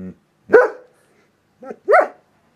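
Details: German Shepherd reacting to ringtones: two short, strained yelping whines about a second and a half apart, each rising then falling, with a brief lower sound at the start.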